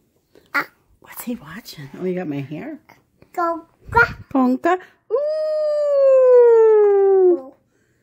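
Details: Tonka the Alaskan Malamute howling with a baby who mimics him; babbling and baby vocal sounds come first, then one long smooth howl that slowly glides downward in pitch for over two seconds.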